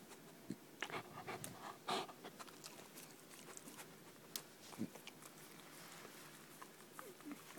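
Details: Nitaro, a West Highland White Terrier, breathing in uneven breathy puffs, with scattered soft clicks and a few louder snuffling bursts between quieter stretches.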